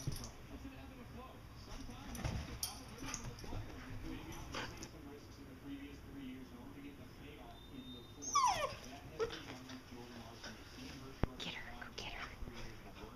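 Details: Two Vizsla dogs play fighting in August 2012, giving short high whimpers and yips, with one sharp sweeping yelp near the middle, amid human speech and rustling indoor noise.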